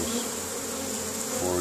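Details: Close-up of honey bees returning with pollen to their hive, Caribou, Nova Scotia, Canada, in May 2015; a loud, full droning buzz, growing slightly stronger at the end as a bee passes near.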